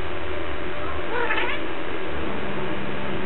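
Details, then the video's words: Domestic cat "talking" indoors: one short harmonic meow rising and falling near the middle, under a constant loud hiss, with a person speaking Russian to it before and after. "Кошка разговаривает"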